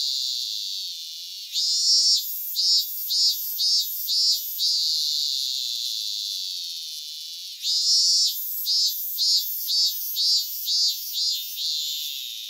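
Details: In Japan, a cicada gives a sustained buzzing drone, then a run of pulsed high-pitched phrases; the drone-and-pulse pattern comes around twice, shrill and unbroken by other sounds.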